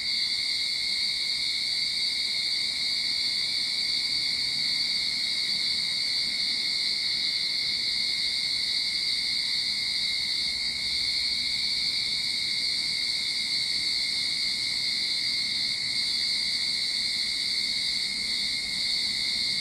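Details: Cicadas in a Sydney backyard at the start of summer, a steady unbroken shrill drone with bright high bands, holding even loudness throughout with no pauses or other clear sounds.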